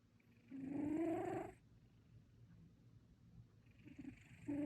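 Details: Domestic cat asleep and snoring: one long breathy snore with a rising tonal whistle, then quiet hum and the start of another.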